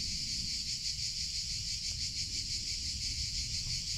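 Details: Steady, shrill buzzing from cicadas in summer, with a rapid throbbing pulse running through the drone and low-pitched rumble underneath.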